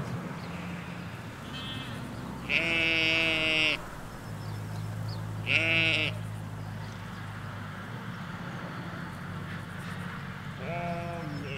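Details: Sheep, ewes with their lambs, grazing a field in the Hampshire countryside, recorded along a hedge: three loud, quavering bleats with rich harmonics, each about a second long and spaced a few seconds apart, over a steady low background hum.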